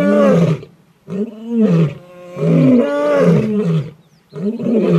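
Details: Wild male lion at Lion Sands in the African bush, calling while with a kill: deep, moaning roars in long swelling bursts, each rising and falling, separated by short pauses.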